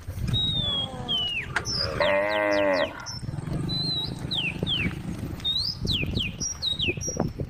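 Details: One short, full-bodied moo from a tame female cow in a grass field with a group of cows and a calf, surrounded by frequent sliding bird whistles and a low background hum.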